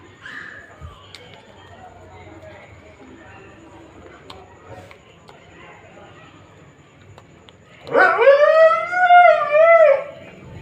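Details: A pet dog, jealous while its owner feeds a street dog, gives a loud whining, howl-like cry near the end, two drawn-out wavering tones rising then falling, after a stretch of quiet background murmur.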